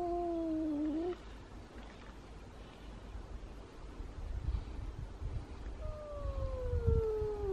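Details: Elma, a tiny two-year-old cat weighing 3.5 kg, confronts the big cat Kutvonen. A short wavering yowl is followed by a quiet gap with low rumbling and shuffling, then a second drawn-out, slowly descending moan near the end.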